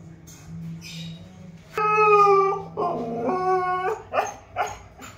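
A Siberian Husky gives drawn-out, wavering howls that break into short yips.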